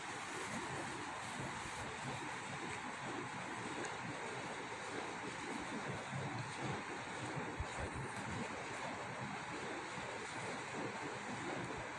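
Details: Steady broadband rushing noise like wind or surf fills the whole recording, with a few faint clicks and no animal calls.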